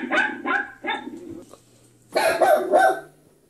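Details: Scared pet Yorkshire Terrier Poki barking in reaction to another dog sound: three spaced, clipped barks, a brief pause, then a loud burst of rapid, squealing yelps, with a faint low hum throughout.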